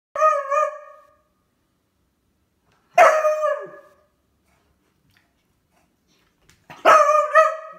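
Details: Beagle that has found a new toy, giving three loud, harmonic barks spaced about three seconds apart, each ringing briefly before fading, with quiet gaps between.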